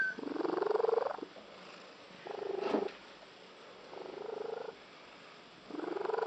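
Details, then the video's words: Unusual purr from a female pet cat, described as sounding like a tree frog: four rasping, rapidly pulsed bursts of roughly a second each with quiet gaps between, plus a brief clicking noise midway. "the cat with the unusual purr"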